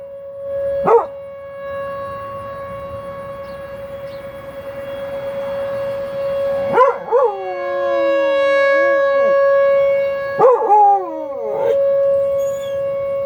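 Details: Buddy, a dog, howls along with a tornado siren tested at noon on the first Wednesday of the month; a steady siren tone runs throughout while the dog gives rising-then-falling wavering howls.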